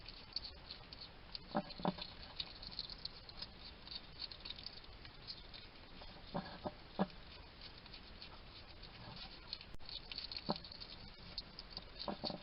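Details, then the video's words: Garden hedgehog in Somerset, UK, a wild male, feeding and chatting to himself: scattered wet clicks and crunchy chewing pops, sometimes paired, spaced a second or more apart, with low constant hiss underneath. "Ever wonder what a hedgehog sounds like? This little guy chatting to himself while he eats."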